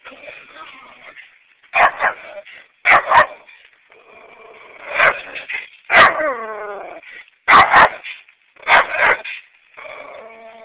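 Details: Neighbour's dogs barking at a person pulling into a home garage, sharp loud barks in clustered bursts, about eight over eleven seconds, one ending in a drawn-out whining tail, with a faint hiss between barks.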